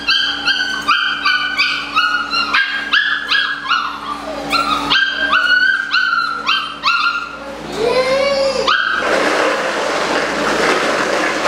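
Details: Eight-week-old Malinois puppies, socialized daily, give a rapid run of short, high, harmonic yaps and yelps at an irregular pace, then a drawn-out rising whine, before a wash of broad rushing noise covers the last seconds.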